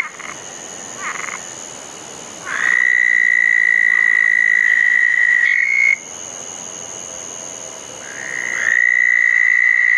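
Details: Several southern toads gathered at a pair of ponds on a wet June night after a storm; successive long, high trills switch on and off, overlapping briefly around six seconds, with softer distant calls between.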